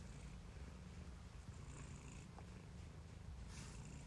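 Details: Quiet, continuous low purring from a pet cat, a deep even rumble with faint hiss above it.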